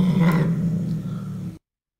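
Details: A domestic cat's slightly open-mouth growl, or snarl, an early warning in aggressive or defensive situations: a low, harsh, creaky rumble with a vowel-like tone.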